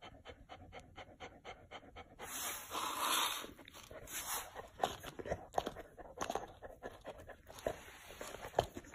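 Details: Chow Chow on a hot day with a big block of ice; steady fast panting at first, then louder licking and crunching noises at the ice with scattered clicks.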